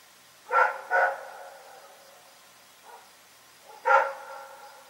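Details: Dog named Rex barking at night: two quick barks, a faint low woof after a pause, then one more loud bark fading out.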